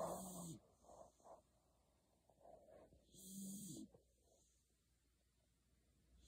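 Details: Shiloh, a Beagle, sleeps deeply beneath a kotatsu; two drawn-out snores with a low droning tone open and close the stretch, separated by soft breathing and near quiet.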